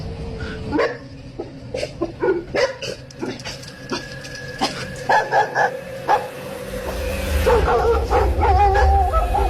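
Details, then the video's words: Dogs barking wildly at night from a road where a headless figure is said to vanish; sharp barks repeated about twice a second, irregular, over a steady low hum with a faint whine near the end. "You can hear dogs barking like crazy right as it happens."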